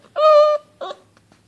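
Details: Basset hound puppy at play gives a short, clear, level whine, then a quick rough yelp, while someone asks what the matter is and calls the name Elvis.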